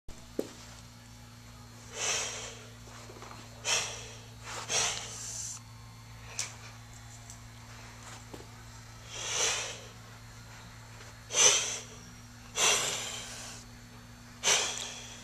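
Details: Young orphaned kittens hissing while being taught defence reactions without a mother; short breathy hisses burst out every one to two seconds, indoors over a steady low hum.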